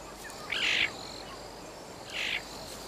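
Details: A female caracal kitten, welcomed back after exploring, and her father give two brief, high chirping contact calls as a greeting between father and daughter.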